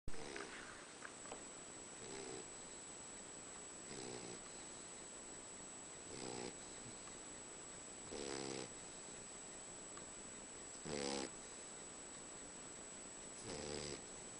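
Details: Pet Boxer dog snoring indoors, described as sounding like a human: rasping, buzzy snores with a low tonal hum, each lasting about half a second and repeating roughly every two to two and a half seconds over a steady faint hiss.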